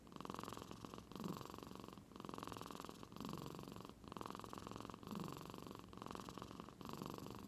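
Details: Domestic cat in Aichi Prefecture, Japan, deep asleep after seeming to purr, making a sound like a middle-aged man's snoring: steady low rumbling in long pulses separated by brief pauses roughly every one to two seconds, indoors.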